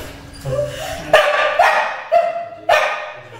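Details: Akita Inu puppy being dried after its first bath at a dog wash in Perugia gives four short, sharp yelping barks, each rising slightly, about half a second apart, over a steady background hum.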